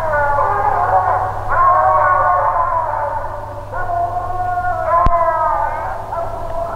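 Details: At night a six-month-old Phrogger pup, fourth night out, bawls at the tree: long, loud, overlapping howls restarting roughly every second or two, one sharp click partway, and a steady low hum throughout.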